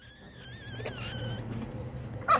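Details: A female Chihuahua named Gioconda, filmed at home in Simferopol, Crimea, gives a thin, drawn-out whine with wavering pitch for about a second, then a short sharp yelp at the end over a low background hum.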